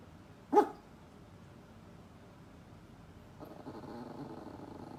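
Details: Poodle; one short, loud bark early on, then after a pause a low, continuous rumble like a growl builds and carries to the end.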